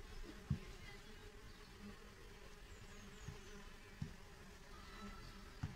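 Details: Mason bees of a new generation emerging from pupae in reed tubes and holes in wood at a school bee hotel in spring; a low steady droning hum with faint soft clicks every second or so.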